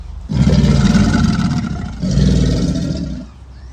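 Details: American alligator bellow in mating season, a loud, deep rumbling roar in two long bursts, the first about two seconds and the second shorter, with gravelly low vibration throughout.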